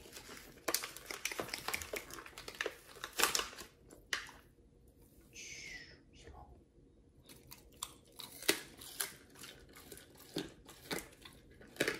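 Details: Crinkling, tearing and chewing noises mix with soft talking indoors, and no animal call is heard.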